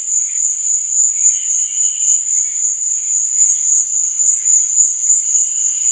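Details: Nighttime cricket chirping forms a steady, ringing high buzz with a rapid pulsing texture, while quieter, lower chirps flicker intermittently beneath it.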